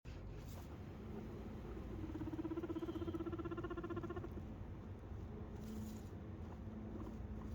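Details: Pet guinea pig, one of two (a white one and a brown one) that very seldom make their squeaking voice, gives a low, buzzy, vibrating purr lasting about two seconds over a dull rumble.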